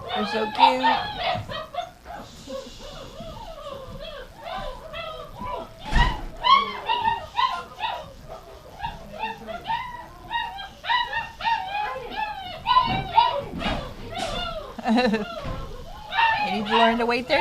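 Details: Many dogs in a kitchen at gruel feeding time on January 20th, 2017, waiting their turn. A dense, loud din of yelps, whines and wavering howls never lets up, broken by thumps, with voices and music mixed in.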